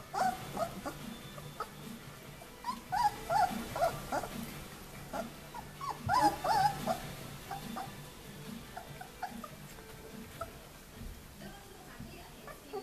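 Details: White Swiss Shepherd puppies 19 days old, summer 2014, giving thin, high whimpers and squeaks in short bursts.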